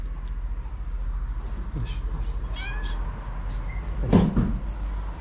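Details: Tabby cat in Morocco that crept under a car after smelling food in it; a short harmonic meow mid-clip and a louder cry near the end, over steady low hum, with a person calling to it.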